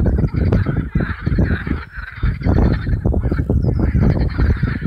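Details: Hundreds of marsh frogs calling together at Allhallows marshes, North Kent, on a warm May evening in 2015; a dense wall of rapid, rattling, pulsed croaks overlaps continuously, with deep rumbling underneath throughout.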